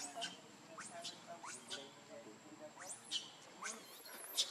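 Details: Pitiful crying from baby monkey Lucie: a series of thin rising squeaks roughly every half second to second, over a murmuring low background.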